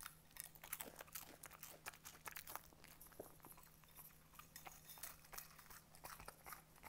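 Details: Cooper, a Schnauzer, eating very crunchy cornflakes indoors in a small room; dense, irregular crunching and biting bursts across the whole stretch, sharp crackly snaps several times per second, with a steady low hum beneath.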